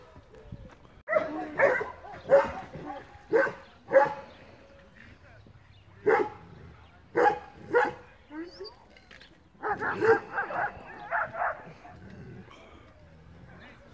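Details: Belgian Malinois pet dog, shown biting through sheet metal with its teeth, gives loud sharp barks in short bursts of several, pausing between groups, while people talk throughout.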